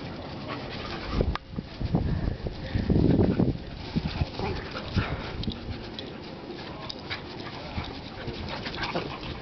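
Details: Alaskan Malamute puppy, ten weeks old, playing with its mother and father in a backyard; rough, breathy panting and low, gruff play noises swell into a loud burst early on, with scuffling and rustling throughout.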